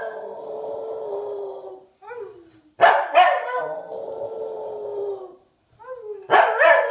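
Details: Pet dog alternating long, steady, moaning howls with sudden sharp barks, two barks close together midway and another burst near the end, in a quiet room.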